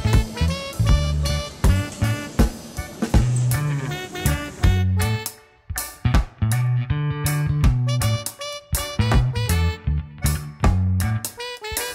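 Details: Upbeat swing-style music with bass guitar and plucked strings plays throughout in a bouncy rhythm, and no animal sound can be picked out.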